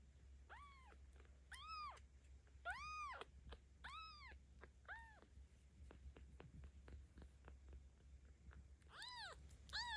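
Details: A 17-day-old kitten, a cared-for rescue in Tama City, Tokyo, Japan, filmed on 10 October 2022 while being petted, gives a series of high arched mewing cries, about seven in ten seconds, over a steady low hum.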